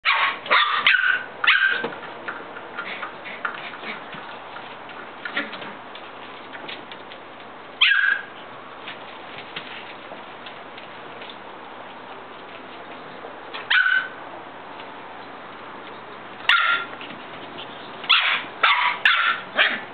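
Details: Shetland Sheepdog puppies, offspring of the parents Lamb and Pepper, giving high, sharp yelping barks in short clustered bursts, with long quiet gaps between the outbursts and a steady low hum underneath.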